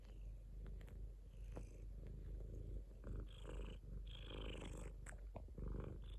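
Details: Domestic cat purring: a continuous low, throbbing rumble made of rapid fine pulses, steady in loudness, with faint higher rustles and soft clicks scattered through.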